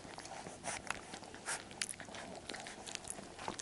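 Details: Nine Labrador Retriever puppies from one litter smack and chew noisily at their food, a steady patter of wet clicks and crunches with no barking or whining.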